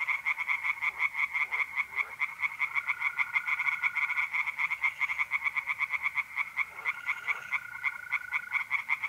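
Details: Singing tree frogs by a pond on an April night in North-East Italy, a fast pulsing croak chorus from several frogs, joined midway by the smooth, continuous trill of mole crickets.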